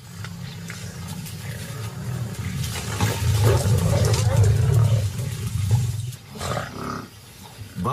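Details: Lion in the wild near water, with hippos and buffalo nearby, giving a deep, rumbling growl that swells and holds for several seconds before fading. Some higher noise and scattered faint sounds sit behind it.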